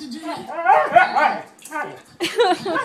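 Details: Siberian Husky grumbling during a squabble with another dog over chewy chips; wavering, vocal 'talking' yowls with bending pitch in two bursts separated by a short pause, background music faint.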